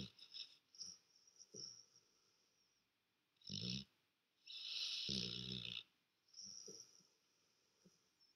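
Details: Black Labrador retriever asleep on a sofa, snoring loudly; rough, breathy snorts come in irregular bursts, with two long, heavy rasping breaths near the middle and softer wheezy breaths between, in a quiet room.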